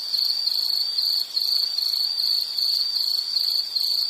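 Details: Insect chirping from a nature sounds relaxation series, a continuous high-pitched trill in rapid pulsed bursts, brief dips in loudness about every half second, steady and unbroken otherwise.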